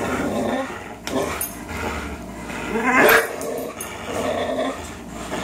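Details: Greyhound Fox and German Shorthaired Pointer Miles, both three years old, in a tug o' war they often play: continuous snarling growls rising to a louder burst near the middle, then settling back.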